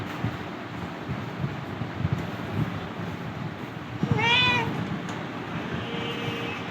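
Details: A cat being vaccinated against rabies and flu lets out a single drawn-out, wavering meow midway. Low background hum and soft handling noises fill the rest, followed by a faint thin tone.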